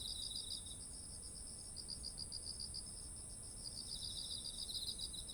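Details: Insects singing in autumn next to ripening rice, bursts of beaded chirping that pause and resume, overlapping trills slightly lower in pitch, and an unbroken thin shrill tone sitting higher, with quiet low ambient rumble.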